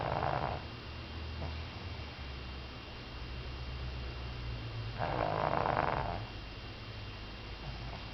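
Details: Sleeping female Pug Rin, aged one year and three months, gives raspy, rattling snores, a short one at the start and a longer, louder one near five seconds, over a constant low background hum.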